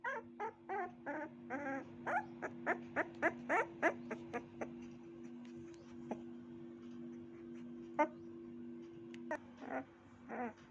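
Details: Puppy yipping and whimpering in quick bursts, a fast run of short high yelps in the first half, then scattered single yips over a constant low hum.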